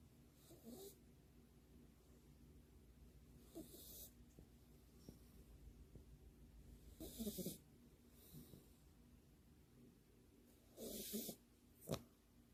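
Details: Sleeping French Bulldog lying on its back with paws held together, eyes half open, snoring in a half-asleep state; irregular rasping snores with airy hiss, about five bursts over twelve seconds, separated by quiet breathing.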